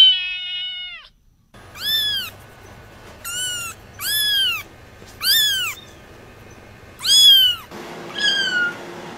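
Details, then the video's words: Kittens meowing: a series of high, arched, downward-bending mews repeated about once a second, each short and bright with rich overtones, after a brief opening squeal and a gap of silence; faint steady background hum. "Kittens meow"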